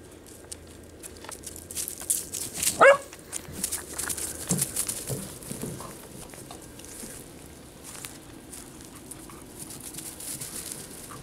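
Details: Two Kerry Blue Terriers, Baylee aged one and George at 15 weeks, playing together for the first time; a single sharp bark near the third second, then scattered yips, scuffling and play noises.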